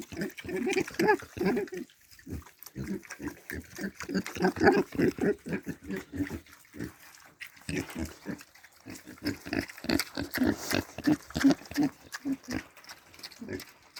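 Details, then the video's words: Several piglets grunting while they eat, giving short, rapid, nasal grunts in quick irregular runs of about three per second, with brief pauses, mixed with wet chewing and slurping. "The grunting of funny piglets"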